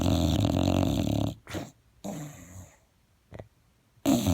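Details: English Bulldog pet snoring loudly indoors: harsh, rumbling, rasping breaths in a long loud stretch, then a few shorter snorts separated by quiet pauses, and a loud snore again at the end.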